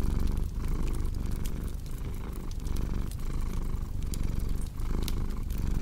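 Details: Deep, continuous cat purring with a regular breathing pulse, each in-and-out cycle about two-thirds of a second long, set against scattered snapping crackles from a fireplace.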